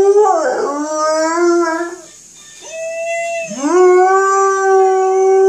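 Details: Malamute giving two howls separated by a short breath; each begins with a low dip and rises into a sustained, clear tone, the second held steady to the end.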